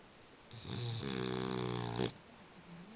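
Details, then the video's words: A sleeping French Bulldog gives one long, vibrating snore of about one and a half seconds. It is a rattly, buzzing drone with strong low harmonics that ends abruptly, followed by soft breathing. "french Bulldog "Spike schnarcht"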